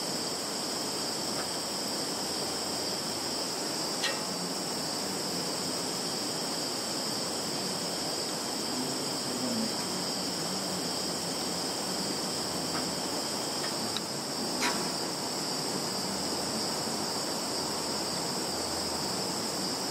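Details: Field insect chorus from Kaluga region, Russia, on 11 September 2019, phone-recorded: continuous high-pitched shrilling holds steady for twenty seconds, broken by a few sharp clicks or taps around the middle and near the end.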